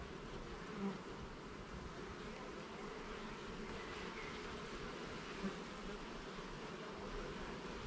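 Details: Garden beehive opened for inspection of levels and frames: honey bees give a continuous, even droning buzz, thick in the low-middle pitches, with two brief soft taps and little else.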